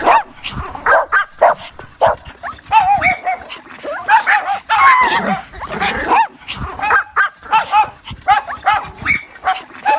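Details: Squealing, whiny yelps from a mother dog calling her puppies, short pulses several times a second with occasional longer wavering whines in the middle, dense and overlapping throughout.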